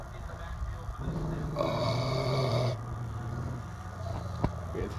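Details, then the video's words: Mastiff and shepherd dogs growling: a low, rough, sustained rumble that swells louder and richer for about a second midway, then settles back to a steady deep drone, with a sharp knock near the end. "Growling mastiff and shepherd dogs"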